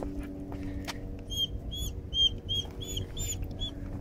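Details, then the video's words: Timid dog, fearful of the leash and sensitive to leash pressure, protesting during a walk: a run of about eight short, shrill, high squeals spaced roughly a third of a second apart over a low background rumble. "Timid dog, afraid of leash, screams and protests."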